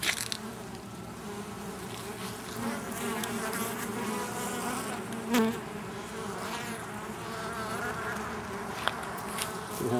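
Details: Male honey bees buzzing around a colony nesting in an oak in Tampa, Florida, ahead of swarming; a continuous droning hum with a steady pitch, plus a brief faint click near the middle, captured on a camcorder in macro mode.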